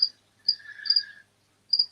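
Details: A cricket indoors at night, heard very close to a microphone, gives high, thin chirps in short bursts against a quiet background.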